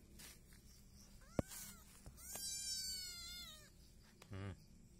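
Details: Village kittens, a Peaknose and Javanese cat mix, at breakfast: a short meow, then a long, drawn-out wavering meow lasting over a second, with a clipped cry near the end and Indonesian speech around.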